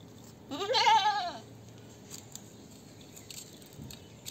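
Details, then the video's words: Goat giving a single loud bleat lasting just under a second, wavering and vibrato-like, rising then falling slightly in pitch, over a quiet background. "Goat sound 2023 । Best goat sound in the world 2023"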